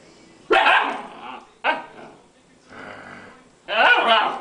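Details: Chinook dog lying lazily on the floor barking: a loud bark, a shorter second one, a softer grumbling sound, then another loud rough bark, all indoors with little background noise.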